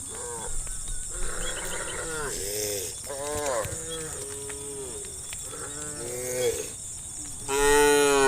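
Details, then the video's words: Herd of wild cows in the countryside calling each other to roam: many overlapping lowing moos, some rising then falling, following closely one after another, with a louder, longer moo at the end over a steady high hiss. "The Sound of a Herd of Wild Cows Calling Friends to Roam in the Countryside - sound of cows mooing"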